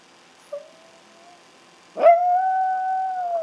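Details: Chihuahua howling, Ace calling out when he can't find his mom alongside younger howler Oscar: a faint thin howl, a pause, then a loud pure-toned howl held steadily for over a second.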